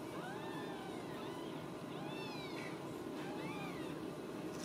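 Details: Ragdoll kittens at a home cattery in central Kansas, raised without cages, at supper time: several high, arching meows rise and fall near the start, middle and end, over a steady background hiss.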